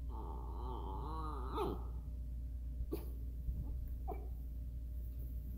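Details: Miniature Schnauzer asking to play: a wavering, harmonic whine lasting about one and a half seconds, quivering up and down, then quiet with a few soft clicks and knocks.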